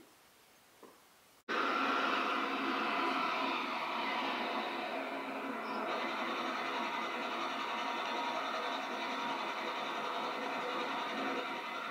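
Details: Near silence breaks suddenly into a steady, loud broadband rushing noise like a passing train or a television, with no animal voice.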